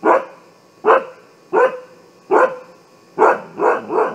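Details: Alarm barking from a Siberian Husky, sharp single barks spaced under a second apart, ending in a quicker trio, each bark punchy with a short ringing tail.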